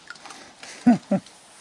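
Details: Baby raccoons at a pizza feeding in rural Nova Scotia, Canada, with the mother nearby; two short, loud, descending chittering calls near the end, faint rustling before them.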